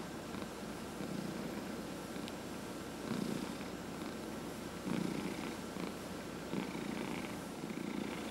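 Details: Domestic cat purring while being massaged indoors, one of four cats; steady low rumbling purr with soft swells roughly every two seconds, faint hiss of room noise, steady faint tone in background.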